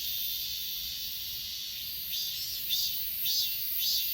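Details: Achasan mountain insects in Korea, filmed on a phone: a high steady buzz, then from midway distinct ringing chirps recurring roughly every half second.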